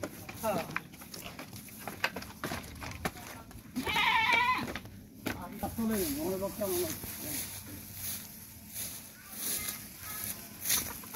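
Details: Goat bought at a village market for a daughter's aqiqah, giving one loud wavering bleat in the middle, surrounded by men talking in Bengali and background clatter.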